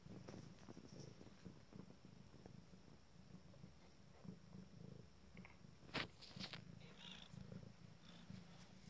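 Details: Five-day-old Abyssinian kittens purring while nursing in a sitting position; continuous low throbbing purr with faint rhythmic pulses, a few small squeaks and clicks in the second half.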